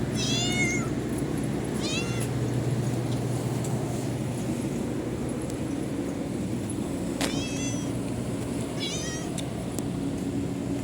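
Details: Stray cats meowing a morning greeting outdoors: several short, high, harmonic-rich mews, some rising then falling, scattered across the recording over a constant loud low rumble of traffic or engine noise.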